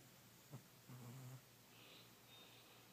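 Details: An old, fat cat called Kitty dozing heavily. A quick click is followed by one rasping, low snore lasting under half a second, then faint room noise.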